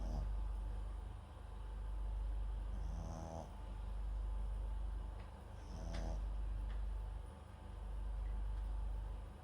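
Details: Sleeping Papillon–Japanese Chin mix MAX breathing noisily at home; two clear rattling snores with soft hissing inhales, plus fainter breaths and a few light clicks over a steady low background hum.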